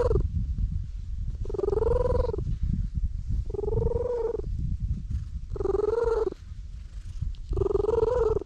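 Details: Petted stray cat settled in the middle of a road, recorded with a GoPro: continuous low purring throughout, broken by four short, level mewing calls spaced roughly two seconds apart.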